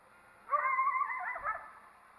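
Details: A coyote that disliked the person recording gives one wavering, strained whine-like cry of about a second, high and slightly broken, ending with a faint low rustle.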